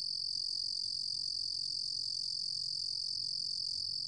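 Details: Cricket known in Korean as 루루곰귀뚜라미, from a 2020 National Institute of Biological Resources recording, giving an unbroken, even, high-pitched buzzing trill throughout, with only a soft low rumble beneath.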